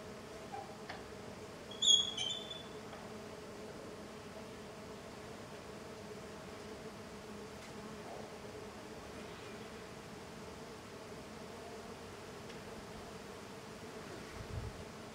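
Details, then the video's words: Jatai stingless bees (Tetragonisca angustula), small golden bees in intense activity outside their hive: a steady low droning hum of many wings, with a brief higher chirping sound about two seconds in. "Stingless bee intense activity outside the hive (Tetragonisca angustula)"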